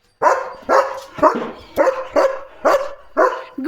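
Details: Leo, a German Shepherd, barks at passing cattle from behind a gate; six evenly spaced loud barks about every half second, a voice calling in Marathi around them.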